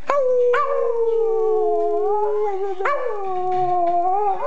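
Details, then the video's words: A Parson Russell Terrier howls on demand in long, steady wailing notes, each starting abruptly then sliding gently downward, breaking and restarting once midway, with clear harmonic overtones throughout. "Buster the Howling Parsons Jack Russell"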